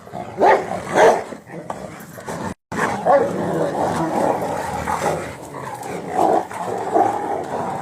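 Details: Several Rottweilers, used to one another, fight over a tyre they are ripping up in a garden: two sharp barks open, then continuous growling and scuffling, with a person's voice nearby.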